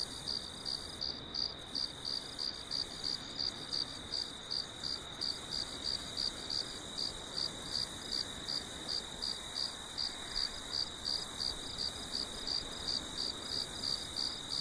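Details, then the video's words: Crickets calling on a farm after dark with a full moon: long run of bright, high chirps pulsing nearly three times per second, steady and even, with faint background hiss. "Sons de Grilos na Fazenda à Noite"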